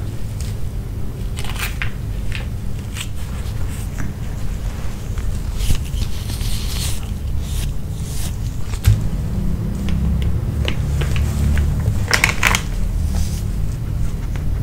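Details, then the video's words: Nino the dog chews grilled pork from a pouch, with wet crunching bites repeating about two to three times a second over a constant low background hum. "Piggy Dog Eating Grill Pork (No Talking) ASMR 먹방 EATING SOUNDS"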